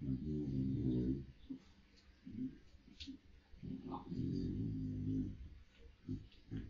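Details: Russell, a Samoyed, grumbles at his owner in the morning to wake him indoors. Deep, rumbling growl-moans come in several drawn-out bursts, each about a second long, separated by short pauses and softer mutters.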